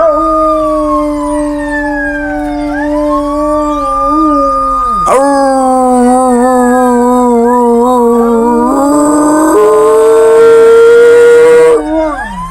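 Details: Domestic dogs howling in response to sirens, with people trying to get them to imitate the sirens; long sustained tonal howls, some gliding down then rising, several voices overlapping, with a siren-like wail joining near the end.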